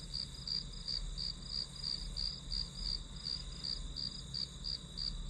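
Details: Grass insect calls for a study-with-me session, a regular string of high chirps near three per second over a sustained tone, low rumble underneath.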